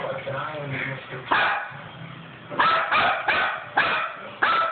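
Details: Five-week-old Chihuahua playing with a two-year-old Bichonpoo, recorded on an Android phone: several short high yips and barks in quick succession, with speech and movement noise in between.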